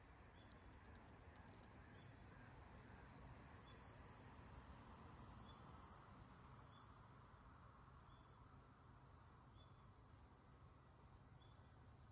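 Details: Mogannia minuta, Japan's smallest cicada at 1.3–2.5 cm, singing in Okinawa. A short burst of rapid ticking pulses opens, then a steady, very high-pitched continuous buzz holds unbroken to the end over faint low background noise.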